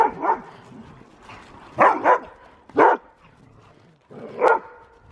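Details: A husky barking during play-wrestling: four separate short yelping barks spaced about a second apart, with a double bark near the middle, over a quiet background.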